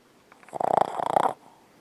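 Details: Boston Terrier sleeping and dreaming, snoring heavily; a rattling, rapidly pulsed snore in two quick fluttering bursts, together lasting under a second, in a quiet room.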